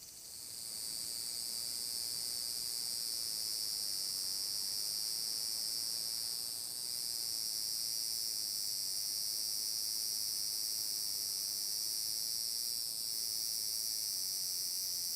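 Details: On a summer day, 30 July 2022, a large brown cicada drones at Furuta Magarikawa, Nishinoomote, Tanegashima, Japan: a loud, sustained, sizzling hiss that swells in over the first second, dipping briefly twice, amid natural outdoor ambience.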